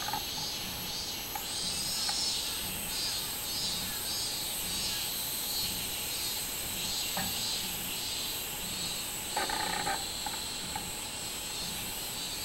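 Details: Robust cicada (minminzemi) singing on 24 July 2016: a steady, buzzy high drone with a regular pulsing beat, about twice a second, over a dense insect chorus. Brief low voice-like sounds break in near the end.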